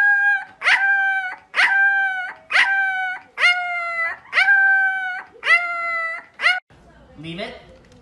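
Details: Puppy giving a series of seven high, drawn-out howling yelps about once a second, each starting with a sharp rise then holding a steady wavering tone, followed by a brief rustle at the end.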